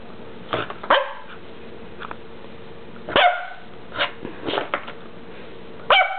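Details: Dog wearing a cone giving sharp, clipped barks, some in quick doubles, irregularly spaced about every one to two seconds, with a faint steady hum underneath.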